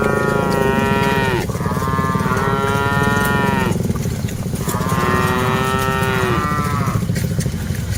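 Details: Herded cattle, part of a group of dozens on the move, give three long sustained moos with strong harmonic layers. Each bellow ends with a downward slide, and a constant low-pitched rumbling background runs underneath.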